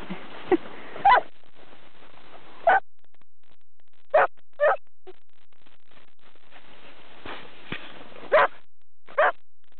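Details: Springer spaniels, two of three champion dogs, playing in the snow in Sweden: short sharp barks burst out singly, about eight across the stretch, with quiet gaps and faint rustling of movement between them.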